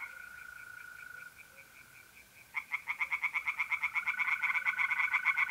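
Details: Tree frogs in a pond at night, mid-April, north-east Italy: a mole cricket trills with sparse pulses before a frog bursts into fast repeated croaks, growing louder to the end.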